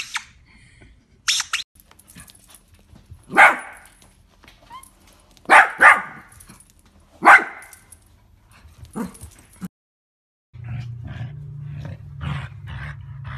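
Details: Miniature dachshund at play, sounding a few sharp, short barks spread over several seconds, two of them close together, with quiet gaps and a low background hum near the end.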